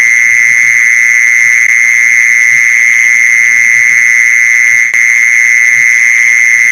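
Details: Mole cricket sound used to lure mole crickets: a loud, steady, high-pitched buzzing trill that runs unbroken through the whole stretch, with a brief click near the end and faint low thuds beneath.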